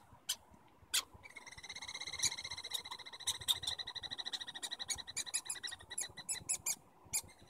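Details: Stanley Park squirrels communicating: after a few isolated squeaks, a long rapid chattering trill of high harmonic notes runs several seconds, speeding and breaking up near the end.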